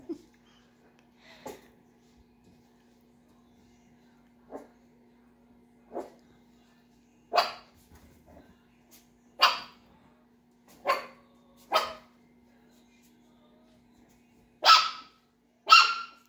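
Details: Eight-week-old Chihuahua puppies yapping in short, sharp, high barks, scattered irregularly at first and growing louder and closer together toward the end, with a steady low hum running underneath throughout.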